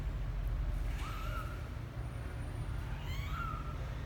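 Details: Twelve-day-old kitten Misoka on his first trip out of the box gives two soft, thin mews, one early and one late, against a low continuous hum.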